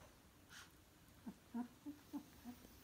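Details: Two-week-old German Shorthaired Pointer puppies from a litter, giving a quick run of about five short, squeaky whimpers, each brief and thin, spaced roughly every third of a second, with a soft breathy rustle just before.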